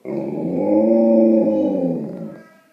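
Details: Sharlo, a pet Leonberger described as a gentle giant, talks to its owner at home: a drawn-out, moaning, harmonic vocalization that swells and then fades over about two seconds, with faint background hum.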